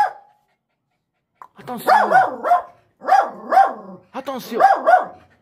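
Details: A small female dog in aggression and attack training barks in quick bursts of three, tonal and sharp, three bursts within about four seconds, after a brief whistle-like note at the start.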